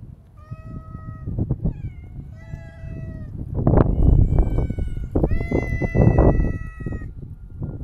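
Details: Siamese mix cat giving four meows close by, short at first and then longer and more drawn-out, mixed with loud rustling and bumping sounds nearby.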